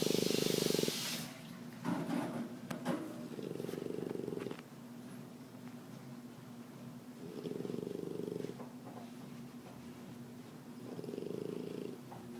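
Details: French bulldog (Canis familiaris) snoring while asleep, in slow, rasping bursts that swell and fade with each breath.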